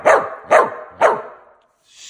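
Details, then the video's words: Dog talking back when told to sit, giving three short, sharp barks about half a second apart, each fading quickly, followed by brief quiet and a faint hiss. "The dog that talks back at you!!"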